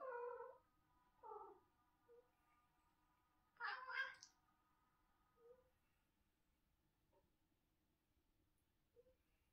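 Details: A domestic cat meowing in the morning in a quiet indoor room: a loud drawn-out meow, a shorter bent one, then a strong rising-falling cry near four seconds, followed by a few soft, brief chirps and mews.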